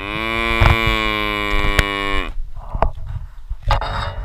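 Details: Cattle herd setting off to graze; one loud, harmonic moo holds steady for about two seconds, ending with a slight drop, accompanied by sharp clicks and thuds, then rustling noise.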